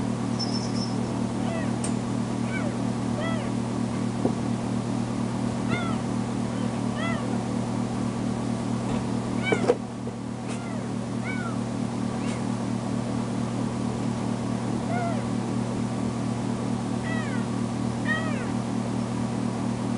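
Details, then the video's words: Foster kitten Tamera, recently spayed, crying and meowing loudly when left alone in a bedroom; short arched meows recur every second or two over a steady low mechanical hum. "Poor Tamera Crying For Me"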